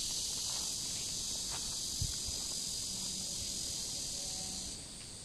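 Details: Cicadas singing beside a river in warm summer, recorded 23 July 2015: a dense, steady high buzzing drone fills the clip without pause, with faint low rustles and a brief thump near the middle.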